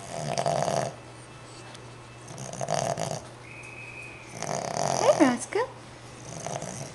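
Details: Asleep indoors, a five-month-old Boston Terrier puppy gives three hoarse, rasping snore breaths a few seconds apart. The last one is partly overlapped by soft, coaxing human speech.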